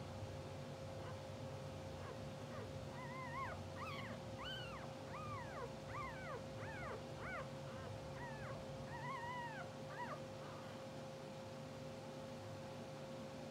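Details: Two-hour-old English Bulldog puppies from a blue sable litter, sleeping, twitching and dreaming, give a run of high arched squeaks and whimpers, about a dozen in ten seconds, over a steady electrical hum and low background rumble.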